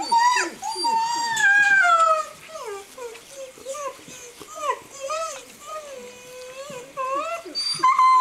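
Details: Greenland Dog puppies, seven weeks old, at play in the yard of Tinka's Kennel in June; several pups give long sliding whines and short arched yelps overlapping each other, one drawn-out descending whine early on.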